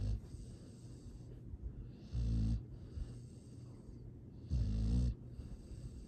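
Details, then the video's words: Astrid, a rescue dog fostered by Charming Pet Rescue in Boerne, Texas, asleep and snoring: two low, rough, droning snores about two seconds apart over soft breathing, recorded Dec 13 2022. "Astrid! This makes me happy Sweet snoring Happy sounds"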